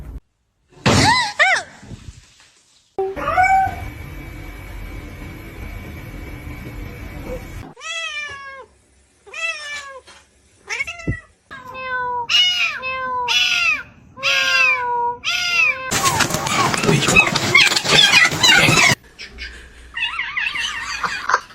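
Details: Domestic cats in a funny compilation of cats fighting: a run of about a dozen short, bent, falling meows in quick succession, with abrupt cuts between scenes, a burst of harsh broadband noise near the end and faint background clatter.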